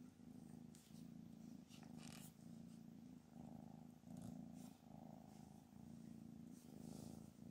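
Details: Anna the mother cat, said to be angry and no longer accepting her kittens, purrs loudly and rhythmically, the rumble pulsing with each inhale and exhale roughly every second, with small rustling sounds between.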